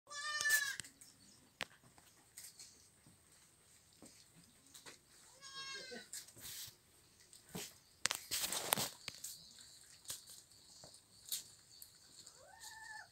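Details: Young goat kids eating leaves give three short, high, quavering bleats spread across the recording, between long gaps filled with rustling, chewing clicks and scattered knocks.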